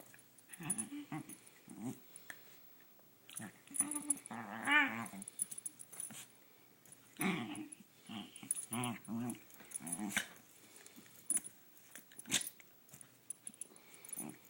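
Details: Kiki, a female pet dog at home, makes funny little noises while being played with: throaty grumbles, whines and short growly yelps in irregular bursts, with a man's voice and occasional handling sounds.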